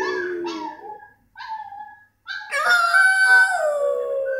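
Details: French Bulldog howling indoors: two short wavering tonal whines, a brief pause, another short whine, then from the midpoint a loud, sustained, harmonically rich howl that slowly sinks in pitch.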